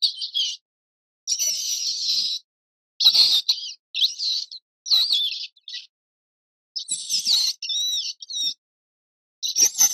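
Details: Shrill mouse squeals in drawn-out bursts up to a second long, their pitch wavering and looping, separated by short silences, with faint rustling underneath.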